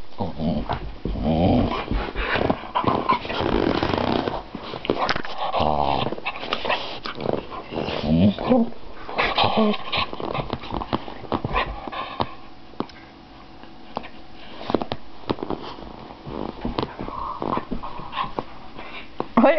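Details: A female pet dog makes odd, crazy noises: long stretches of rough, grumbling, groaning vocalizing, loudest in the first half, then softer broken grunts, with a person talking over it.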